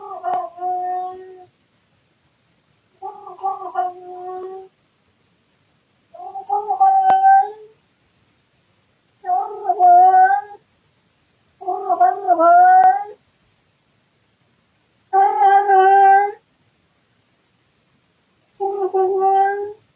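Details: Claus, a house cat, yowling loudly at night from boredom, captured on a surveillance camera; a series of seven long, tonal, slightly rising meows spaced about every three seconds, with no other sounds.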